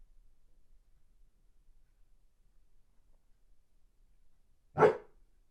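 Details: Weimaraner staying at a boarding home and pining for its owners, while a small dog howls along with it: after nearly five seconds of quiet, one sharp, loud single bark rings out, then silence returns.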